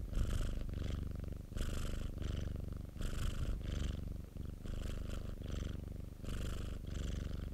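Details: Close recording of a pet cat called Popo purring: continuous grainy rumble in rhythmic surges, about 42 breath cycles a minute, each surge carrying a faint airy rasp.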